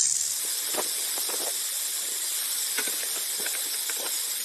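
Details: Continuous dry rattling buzz of a rattlesnake, a sizzling high hiss held at steady loudness throughout, with faint scattered clicks beneath.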